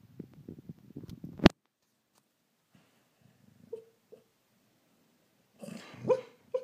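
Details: Truly, a rescue greyhound bitch who never growls or barks awake, woofs while dreaming in her sleep: muffled low chuffs and whimpery yips in short bursts, a long quiet gap, then another soft cluster of woofs.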